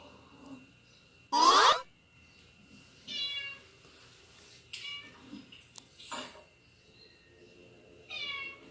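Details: Indoors, pet cats Snoopy and Mickey react to cats meowing on TV. Four separate harmonic meows: a loud, rising-falling one near the start, then three softer, drawn-out meows spaced a few seconds apart over faint room hum.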